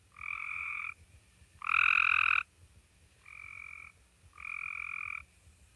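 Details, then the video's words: A Cope's gray treefrog in Minnesota, a mid-season caller, gives short, harsh, buzzy trills under a second each, repeated with brief pauses; like the gray treefrog's call but a little faster and less melodic. "Cope's gray tree frog is visually identical to the gray tree frog and their call is very similar but it's just a little bit faster"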